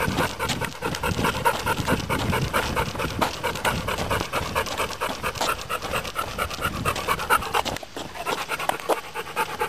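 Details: Heavy dog breathing likened to a steam engine: fast, chugging pants repeating steadily, breathy and noisy, with a short break just before the end.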